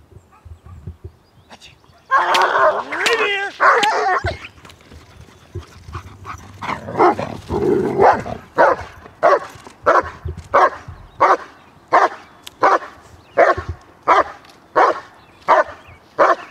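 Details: German Shepherd in protection dog training at Kraftwerk K9. A spoken command comes first. Then deep, harsh barks follow as a long, steady series, one bark roughly every three-quarters of a second, until the end.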